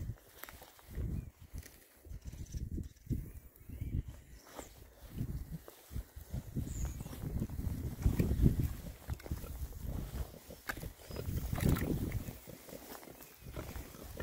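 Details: Oxford Sandy and Black pigs, a rare breed, six males rooting on a winter forage between storms; continuous low grunts and snorts rise and fall unevenly, with occasional brief higher squeaks.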